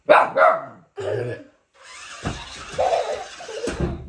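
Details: Husky puppy Humphrey, two days after arriving home, reacting indoors to a remote control car near baby Daisy: two short, sharp barks in quick succession, then a long stretch of whirring, rattling noise with faint voices.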